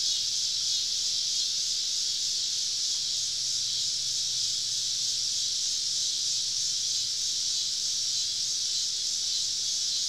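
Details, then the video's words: Summer evening cicada chorus in southern woods during a camping trip, insects surrounding the campsite; a steady, unbroken high-pitched hiss-like drone with a soft low hum underneath. "Southern Evening Summer Cicada Symphony"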